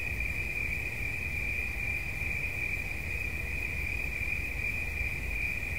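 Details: Steady high cricket trill made of fast, tightly packed pulses, holding constant pitch and loudness throughout, with soft low-pitched rumble underneath.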